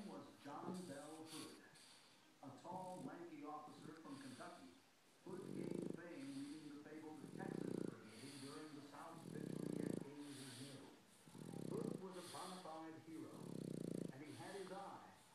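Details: A 5-year-old male Boston Terrier snores in loud, rough bursts about every two seconds while sleeping and blowing lip bubbles, with a person talking.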